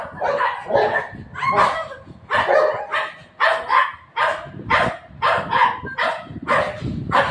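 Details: Golden retriever and shih tzu puppy, household pets Buzo and Milo, fighting: a steady stream of loud, rough barks and yaps, several per second in bursts, with little else audible.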